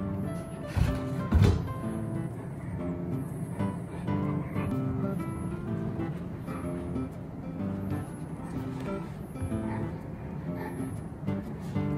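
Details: Quiet background music plays throughout with a few low thumps early on, and no animal sound is heard.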